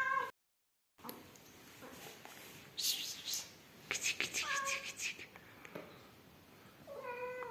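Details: Rescued yellow mother cat Amarilla with her newborn kittens; a few harmonic meows with falling tails near the middle and end, mixed with clicks, rustling and handling noise.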